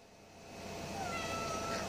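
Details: A male Maine Coon mix cat that acts like a dog meows on command after being told to speak: one clear, drawn-out meow late in the clip, slightly rising then level, over a steady low hum.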